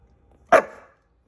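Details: A single abrupt bark from a Siberian Husky struggling to eat a slippery green bean, a loud clipped burst that tails off within half a second.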